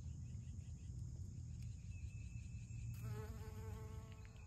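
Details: Honey bees foraging on morning glories: a low, steady droning buzz runs throughout, beneath a constant high insect hum, with a thin sustained tone and a brief harmonic-rich whine entering midway.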